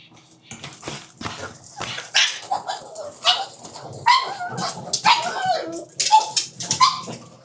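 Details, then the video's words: Pugs at dinner time make snuffling, breathy noises and short high squeaky whines and yips, coming in scattered bursts with hissy broadband bits between them. "pugs dinner 巴哥晚餐"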